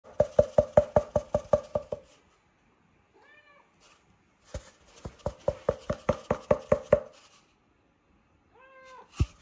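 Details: Michka, a Siberian Forest kitten, indoors: two short arched meows, one midway and one near the end, set between bursts of rapid rhythmic knocking, about two and a half knocks per second, that dominate the recording.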